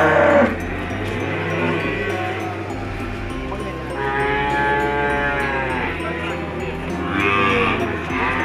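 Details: Two-year-old Ongole crossbred feeder cattle, offered for sale for fattening: deep drawn-out lowing swells up near the middle and again near the end, under steady background music and a repeating clicking beat.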